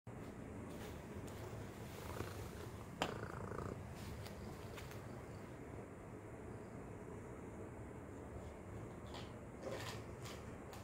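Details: A cat playing with a treat toy, purring steadily and low throughout, with faint clicks and rattles of the toy.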